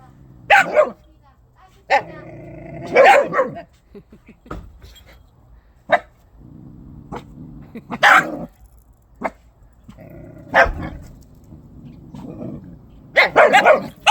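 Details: Donggyeong dog guarding its toy doll, warning others off with low, rumbling growls between sharp bark-like bursts that recur every couple of seconds; a person's voice is also audible.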